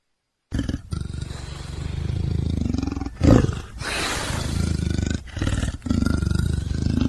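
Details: Leopard roaring: deep, rumbling low growls run almost without pause, pulsing in rough rhythm, with a brief louder burst near the middle and short breaks between stretches.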